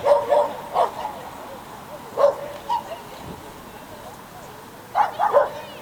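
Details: Schipperke at an unofficial agility contest, Měchenice, 27 November 2016, giving sharp yapping barks in clusters of two or three, separated by brief pauses, against a low hum of people's voices.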